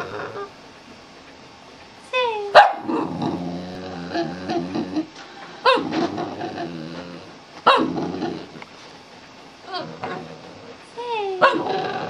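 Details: A Boston Terrier performing for a treat gives drawn-out, wavering howls, some swooping down in pitch, as the owner urges it to "sing" and talks between howls.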